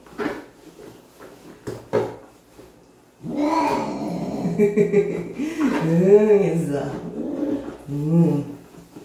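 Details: A cat being bathed indoors keeps up a long, continuous moaning wail that wavers and rises to a strained peak, then breaks into a few shorter cries; earlier knocks and splashes come before the wailing starts.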